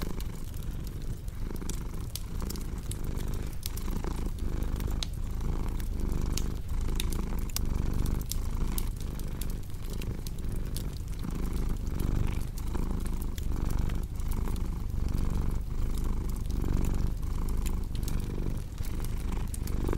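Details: Steady rhythmic purring from a cat, each inhale and exhale marking a soft pulse about once a second, accompanied by constant crackling and popping of a fireplace.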